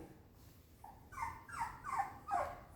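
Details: Frustrated terrier mix dog throwing a tantrum: four rising, whistled whines, each under half a second, coming faster and louder toward the end over a quiet indoor background.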